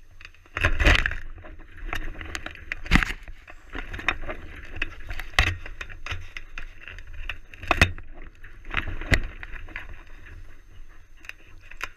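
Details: Thumps, rustling and jangling knocks from a jostled camera recur every second or two; no animal voice is heard.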